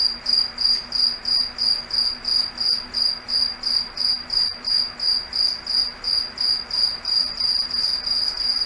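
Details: Crickets singing at night in a foggy forest: a steady, high, ringing chirp pulsed about three times per second in a regular, even rhythm, with a faint low hum underneath.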